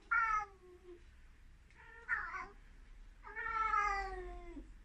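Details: An excited Ragdoll cat running around gives three drawn-out, harmonic meows, the last long and gently falling.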